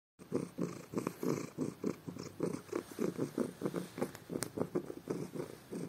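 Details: Domestic cat purring loudly in the morning while having his ears rubbed; steady rhythmic low rumbling pulses, roughly one and a half per second, each breath cycle rising and falling, indoors.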